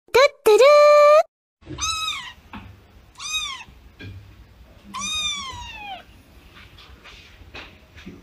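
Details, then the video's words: Crying cat giving several drawn-out, strongly harmonic meows, the first steady and loud, later ones rising then sagging in pitch, separated by short pauses over faint low room noise. "Cat Crying"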